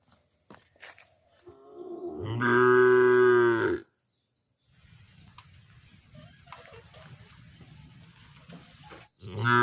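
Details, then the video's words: Young calf gives one clear, moderately pitched moo of under two seconds, preceded by soft grunting and followed by low rustling background noise and a second call starting at the end. "Cute Baby Cow Sound Mooing"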